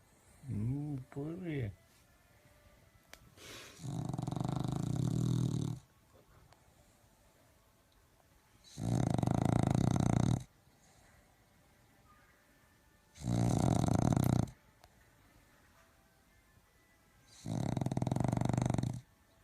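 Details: Sleeping pet dog snoring indoors: four loud, rasping breaths, each lasting over a second, spaced about four seconds apart, with a short wavering whine near the start.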